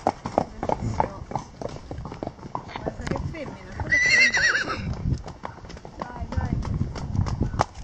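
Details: Wild horses: a brief, high, wavering whinny of about one second rises over steady clopping hoofbeats, with people talking in the background.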